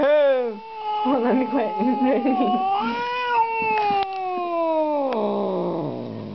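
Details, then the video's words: Female house cat, upset by strangers, makes a short rising wail, then warbling growly yowls and a long, slowly falling moan, with faint human talk in the room. "Angry Cat!!!"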